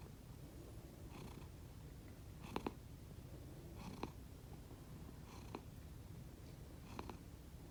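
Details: Pet cat snoring while asleep indoors, one of two cats filmed, a sound unlike its usual purring: soft, low continuous rumble with brief louder breath noises roughly every one and a half seconds.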